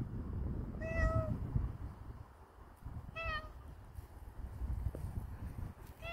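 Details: Pet cat, now friendly with its owner, meows twice about two seconds apart, each call short, clear and slightly falling, with a third starting at the end. Low background rumble and a person coaxing it down.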